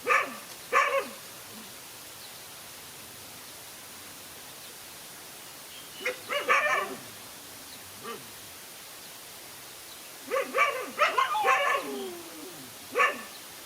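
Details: Dogs fighting, one dog standing up alone against two male dogs; sharp barks and snarling growls come in short bursts with long quiet gaps between them.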